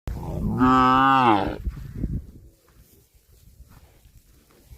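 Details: Cow mooing while out eating grass: one loud, drawn-out harmonic moo lasting about a second, slightly rising then falling, followed by soft rustling and chewing noises.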